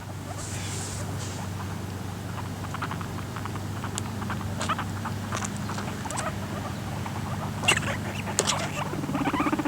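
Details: Guinea pigs (Cavia porcellus) make low rumbles and scratchy squeaks and clicks as a male attacks a female to mate and fails, with fighting noises; recorded in 2013.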